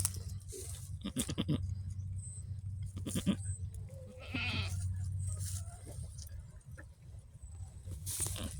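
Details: A goat that has just given birth gives a few short, harsh bleats early on. A steady low rumble and people talking run underneath.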